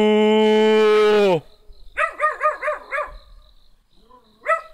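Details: Small black dog yapping in a rapid run of five barks and one more later, after a long sustained harmonic tone, perhaps a person's voice or instrument, that opens the clip.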